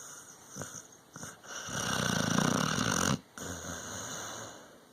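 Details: Dog snoring in sleep: soft snuffles build into a loud, buzzing, low-pitched snore lasting over a second. It stops abruptly, then gives way to gentler, steady breathing.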